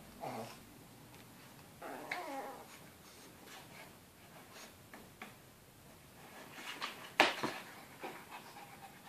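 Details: Two small dogs, a Chihuahua and a Shih Tzu, romp and roughhouse together inside a crate, recorded 8 June 2013. Short harmonic growling-whining bursts open the clip and recur near two seconds, amid rustling, scuffling, breathing, and one sharp knock later.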